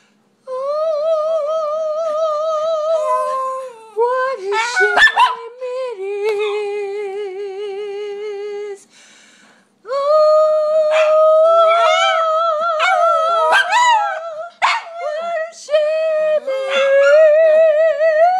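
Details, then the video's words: Several pet pups vocalizing indoors: long, wavering tonal howls held for seconds, sliding up and down, broken by short sharp barks and yelps, with a brief quiet gap midway. "They barking' all the time..."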